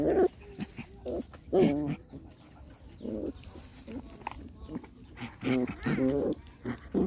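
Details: Rottweiler puppies play fighting together: bursts of short, whiny yelps and wavering harmonic growl-cries, some drawn out for about half a second, coming irregularly about once a second, with quiet gaps and low background noise between.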